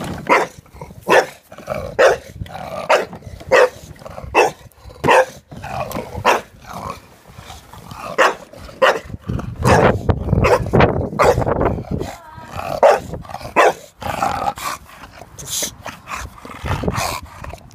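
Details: Jack, a dog protesting a lawnmower, barks rapidly and repeatedly, over a dozen sharp barks in quick irregular succession while the mower's low drone rises and falls beneath.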